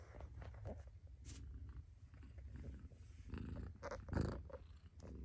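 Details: Low rumbling purr from a mother cat, steady underneath with a few scattered rustles and soft higher noises on top.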